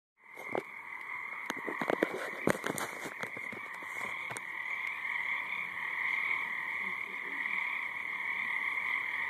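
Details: Frogs calling in a dense, steady chorus: a continuous high trilling drone runs throughout, with several sharp clicks or knocks in the first few seconds.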